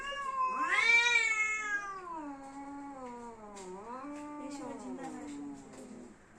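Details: Domestic cat in a fight standoff, one loud rising yowl that peaks early then sags into a long, slowly falling, wavering moan with a final dip.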